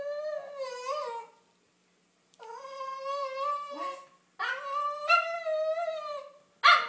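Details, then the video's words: Eager for a car ride, Snickers the female Cavalier King Charles Spaniel pleads with long wavering whines, then ends with a sharp, high yelp. "Cavalier Excited For Car Ride"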